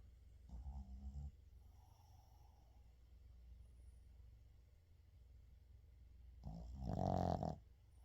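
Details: Sleeping Shih Tzu 의중 snores twice: a short rough snore near the start, then a louder, longer rasping one about six seconds later, over a steady low room hum.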